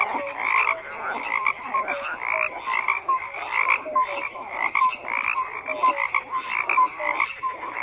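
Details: A crowded frog chorus: rapid overlapping croaks and brief whistled notes pulse continuously, with many callers blending into one unbroken rattle.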